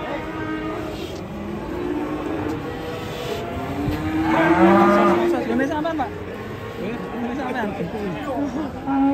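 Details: Raging cattle that climbed onto a truck in Indonesia, giving a loud drawn-out moo that rises and falls in the middle, over background music and crowd chatter.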